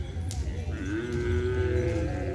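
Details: Cattle at the field as the first release nears: a single long moo swells upward and then holds level for over a second, against background crowd chatter.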